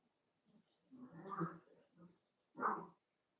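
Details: Cavalier King Charles Spaniel puppies playing together indoors in a home puppy pen, giving rough, grumbling play growls and a short yappy burst near the end.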